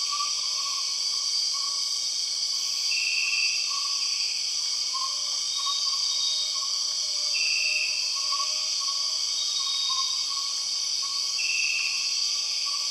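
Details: In the Borneo jungle, empress cicadas keep up a constant piercing drone, punctuated by three brief intensified buzzy bursts roughly four seconds apart, with quiet warbling whistle notes running underneath.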